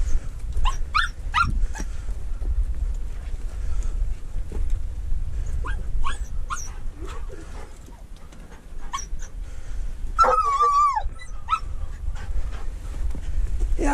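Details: Mink hunting with a dachshund and a treeing walker coonhound: quick sharp barks in clustered bursts, a drawn-out high whine partway through, then more barking over steady low rumbling background noise.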